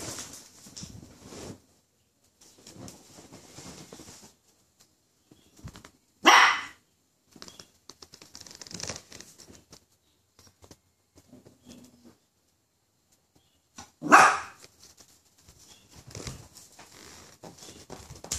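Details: A frightened poodle reacting to a toy poodle gives two isolated, abrupt barks about eight seconds apart. Between them are quiet rustling and faint handling noises indoors.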